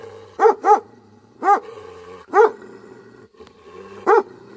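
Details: A Tibetan Mastiff, or Bhote Kukur, barking angrily. A quick double bark is followed by three single, deep, booming barks spaced about a second apart.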